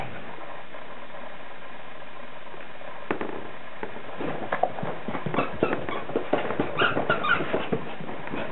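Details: After a quiet start, a male Yorkshire Terrier at play breaks into rapid, irregular bursts of small, high-pitched barks and yips, several per second, with a few whiny, squeaky notes near the end.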